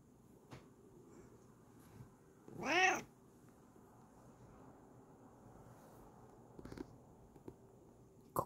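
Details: Bengal cat posing for a camera gives a single bright, rising-then-falling meow, then stays quiet amid faint room noise and a few small clicks.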